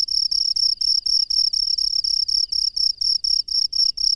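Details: Wild cricket at night, loud high-pitched chirping in rapid pulsed bursts, about a dozen short trills repeated back to back with brief gaps, faint low rumble beneath.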